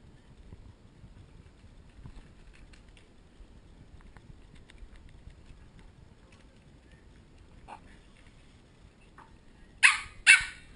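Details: Pembroke Welsh Corgi puppies from a litter of ten, not wanting to go to bed, filmed on a GoPro HD HERO2: long near-quiet stretch with faint shuffling, then two sharp, loud barks in quick succession at the very end.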